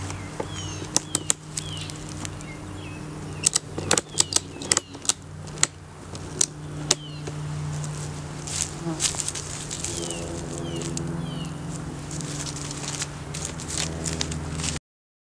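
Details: Honey bees at an opened hive in a beeyard, where an inspection found a laying queen, honey, capped brood and larva. A steady low drone with layered harmonic bands runs throughout, broken by sharp clicks and knocks of frames being handled.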